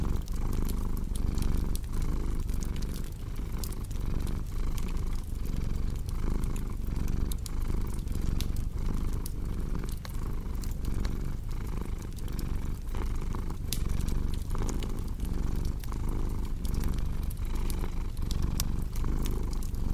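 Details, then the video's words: Steady purring of a domestic cat, a thick low drone beating in evenly spaced breath pulses for the whole stretch, mixed with constant crackle and popping from a fireplace. "Purring Cat with Cozy Crackling Fireplace Sound"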